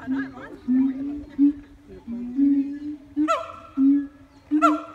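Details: Siamangs singing and putting on a show at Taronga Western Plains Zoo: sustained low droning tones with shifting pitch, broken twice by sharp rising whoops that sweep upward into bright, ringing notes.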